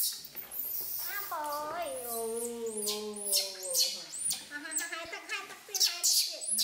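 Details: Baby monkey Poy crying because it does not want to be bathed, alongside baby monkey Nita. Drawn-out harmonic wails slide downward and are followed by several shorter broken cries, with light splashing and handling noises indoors.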